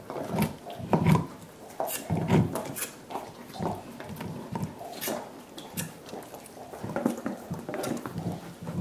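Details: Five dogs gnawing soup bones indoors for dental hygiene. Deep, wet slurping and sucking, a burst roughly every second, with clicks of teeth and bone knocking against a hard surface.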